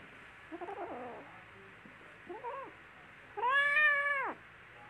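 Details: Baby kittens playing together: two faint, short mews, then one loud, sustained meow that rises slightly and then drops away at the end.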